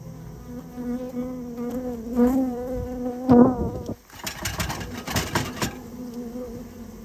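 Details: Japanese honey bee colony being removed from a storehouse where it had built its nest; loud droning flight buzz swelling twice as bees pass close, then a burst of clattering, scraping noise over a quieter hum.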